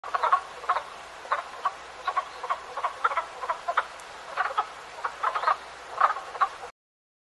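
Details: Frogs calling in a forest: a chorus of short, hoarse croaks repeated irregularly, several each second, with no other clear sounds.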